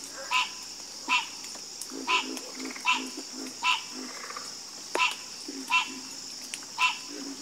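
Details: Frogs croaking in chorus: loud, separate raspy croaks about every three-quarters of a second, with softer, lower croaks in between and a steady high hiss behind.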